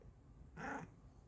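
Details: Pet Bengal cat on a new sofa indoors answers with one short, slightly growly meow lasting about a third of a second, rich in harmonics, in a quiet room after a woman's question.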